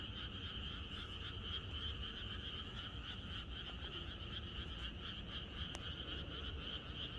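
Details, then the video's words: Rural night chorus of frogs ahead of expected rain: countless callers merge into an unbroken trilling wash, two bright pitch bands held throughout, with a brief click near the end and low ambient hum underneath. "개구리들의합창#비가 오려나?이것이 자연의 소리 ~개구리들의 합창"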